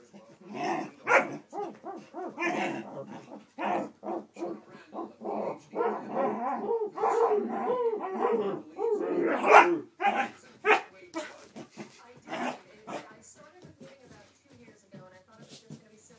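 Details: Cas, a dog that goes wild when a family member hides his head, barking in rapid irregular bursts mixed with growls and yelps, about two per second, the frenzy tapering off toward the end.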